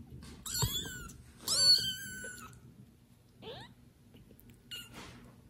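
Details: Newborn domestic kitten from a litter of four left unattended by the mother cat, calling loudly; two long high wavering meows, then shorter rising squeaky cries, with faint rustling between.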